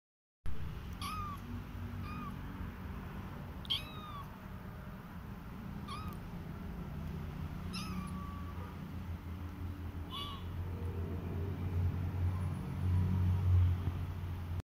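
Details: Siamese kitten meowing: short, high, arched meows repeated about every two seconds, six in all, over a steady low indoor hum.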